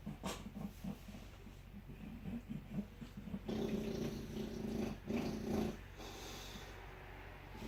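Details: A bulldog snores with rough, rattling breaths in quick, uneven pulses, then a louder, growly stretch of raspy sound before settling back to quieter snuffling.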